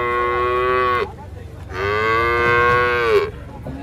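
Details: Cattle, a cute, still-sleepy cow, coming down from a truck at a market: two loud, drawn-out moos with rich harmonics, the first about one second long, the second about one and a half seconds, with a brief quiet gap between.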